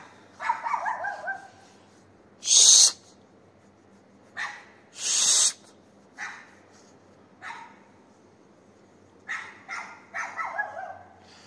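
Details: Neighbour's dog barking at night, 22:30 on 18 May 2021, Castelldefels, Spain. Clusters of rapid barks open and close the stretch, interrupted by two loud, hissing noise bursts and some faint isolated sounds between.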